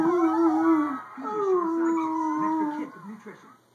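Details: Chihuahua and owner howling together: a sustained wavering howl breaks off, resumes slightly higher and slowly falls, ending in short broken yips that fade out.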